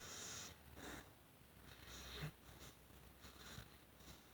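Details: Female American Pit Bull Terrier named Isis Puppy Pants asleep indoors with her tongue out, giving unusual snores: soft, breathy, rasping bursts roughly every one to one and a half seconds in a quiet small room.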